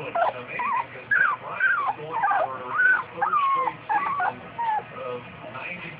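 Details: Newfoundland pups two weeks old give a steady stream of reedy, quavering whines, some sliding down in pitch and others arching up and over, packed closely together with little pause.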